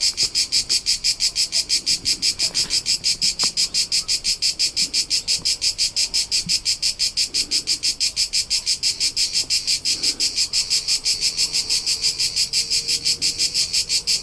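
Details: Crickets recorded in summer among the rolling hillsides of Tuscany, central Italy: a dense, high, buzzy chirping pulsing steadily about three times per second throughout, with faint low background rumble.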